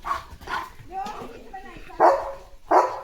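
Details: Morning barking from Leo the German Shepherd as he dashes into the yard. Four short, rough barks come at uneven gaps, with soft human talk in between.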